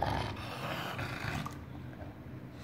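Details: Enzo, a pet dog, lets out a rough, roaring growl-like grunt that fades into a steady low rumble, with a man's voice talking to him nearby.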